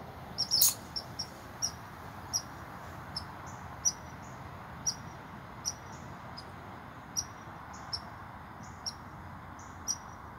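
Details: An American red squirrel that ran up a tree gives sharp, high barks about twice a second, scolding a nearby person, possibly because it was close to a nest.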